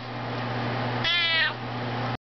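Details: Max, a Maine Coon cat, sits up and "sings" an encore along with his owner's Twinkle Twinkle Little Star, giving one drawn-out, tonal meow against a steady low background hum.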